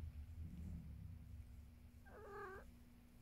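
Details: House cat purring with a low rumble, then a single clear, slightly quavering meow lasting about half a second near the end, over a steady hum.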